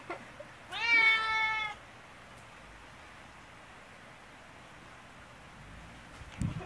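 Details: Affectionate brown tabby cat Choko gives a single loud, sustained meow of about one second in a quiet room, followed by silence and faint handling noises.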